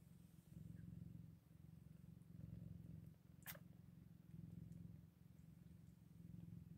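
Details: Low rumbling purr near eight-day-old Scottish Fold kittens, the drone cycling in swells every two seconds or so, broken once by a single sharp click midway.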